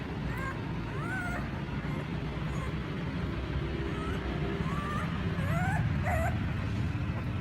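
Puppies whimper with thin, rising whines, calling for their mother over a low rumble.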